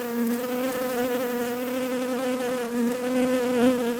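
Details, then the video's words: Steady drone of buzzing bees, a low, even hum with rich wavering harmonics, holding at a nearly constant level with a slight swell near the end. "Relaxing Bees Buzzing Sounds"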